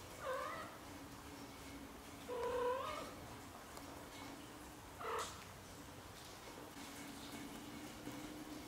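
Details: Young British Shorthair kittens up to 30 days old: three separate meows, each rising then falling, a short one first, then a longer, louder one, then a brief sharp cry, over a faint constant hum.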